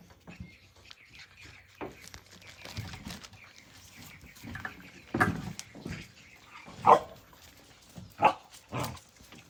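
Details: Blue Heeler puppies at play give short, sharp yips and barks at irregular intervals, several sudden louder ones late on, over soft scuffling and background rustle.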